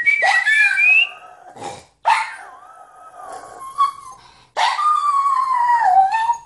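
A Toy Fox Terrier gives a series of drawn-out howls, each starting high and sliding down in a wavering, whining tone. Three long wails fill the recording, separated by short quiet gaps.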